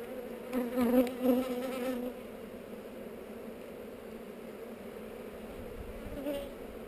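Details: Honey bees buzzing on heather while a hive is opened for inspection, GoPro recording: a brief louder surge of buzzing with rising overtones near the start, then a steady, level hum continuing to the end.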